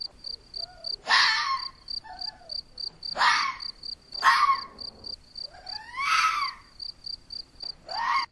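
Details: Wild Red fox barking close by in Portugal as a second fox searches for food, caught on a trail camera: loud, rasping barks roughly every one to two seconds, with fainter calls between and constant pulsing cricket chirps behind.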